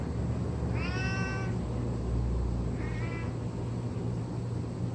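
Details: House cat hauling a blanket around while calling strangely: one clear, bright harmonic meow near the start followed by a shorter, fainter one two seconds later, over steady low background hum.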